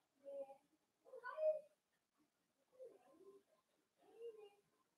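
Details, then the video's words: Playful Cavalier King Charles Spaniel puppies, blenheim-coloured and born on New Year's, with their mother in a home puppy pen; four short nasal whimpers about a second apart, the second louder and more tonal, the rest falling and softer. "Cavalier Puppies Play with Mama"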